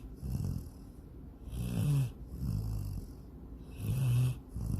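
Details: Sydney, a female pet dog, snores while asleep and dreaming of chasing a rabbit and swimming in a lake: deep, rasping low snores alternate with breathy hissing exhales, a cycle roughly every two seconds.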